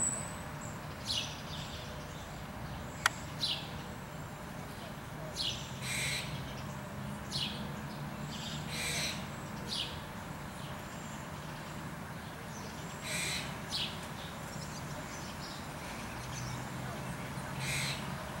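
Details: Squirrel giving scattered harsh barks, spaced a second or more apart with quieter gaps between, over steady low-pitched background hum; one sharp click near the start.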